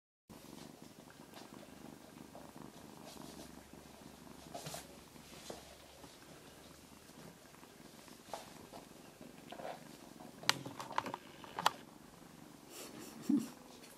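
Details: Abyssinian cat at a family cattery near Grasse, purring softly and steadily indoors as a low continuous rumble, broken by a few faint clicks and rustles toward the end.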